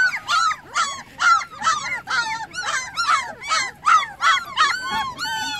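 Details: Young puppies, eyes newly open, cry out for their mother while she is away, giving loud, bent, whimpering yelps about twice a second in a steady, insistent series.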